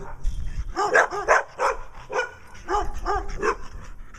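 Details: In Wadena, Minnesota, Brown Dog barks to get attention while Stella, a dog with black eye patches, acts nutty. A run of quick, harmonic barks, some doubled, repeats roughly every half second with short gaps.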